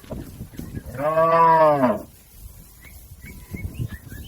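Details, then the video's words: Tame village cattle grazing in a green field: one long, rich moo of about a second, arching slightly in pitch, followed by quiet rustling and a few distant bird chirps. "Suara sapi Moo"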